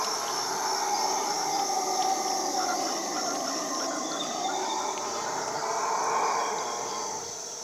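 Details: Howler monkeys in the Amazon rainforest, calling in total darkness before dawn; a distant eerie chorus of droning, swelling roars rises and falls over a steady high insect hum.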